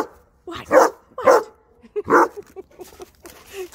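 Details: Rhodesian Ridgeback pup at play during zoomies, giving three loud, short barks about half a second apart, then softer scattered yelps, with quiet background sounds.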